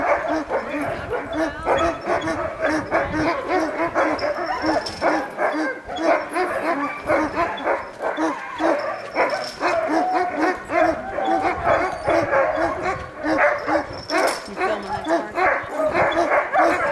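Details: Many sled dogs in Alaska's Denali National Park bark and yip nonstop while excited before pulling a wheel sled at a ranger demonstration; dense, continuous overlapping barks with whining yelps mixed in.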